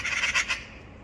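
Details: A female Devon Rex cat, unhappy at magpies teasing her, gives a short, hoarse, raspy bark in a quick run of harsh bursts.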